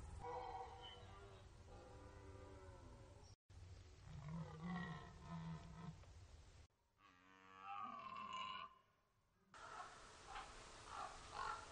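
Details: Archival recording of the red deer rut on the Orzysz military training ground, Poland: a run of deep, rasping, harmonic roars, with one pitched, drawn-out bellow in the middle, broken by short gaps where the recording cuts.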